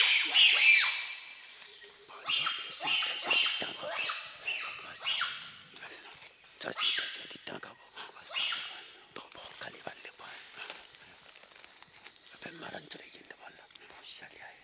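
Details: Bonobo group from a wild population tracked in the Chefferie des Bateke Nord, western DR Congo, by Mbou-Mon-Tour trackers: a dense chorus of high, harsh squealing calls, loudest at first, then thinning into scattered shrieks.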